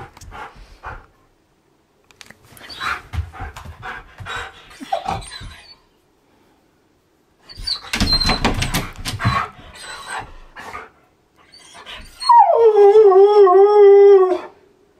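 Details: Siberian Husky indoors, coaxed to sing, imitating a washing machine: bursts of breathy grumbling and short vocal noises, then a long falling howl-like whine ending in a steady tone near the end, with a person talking.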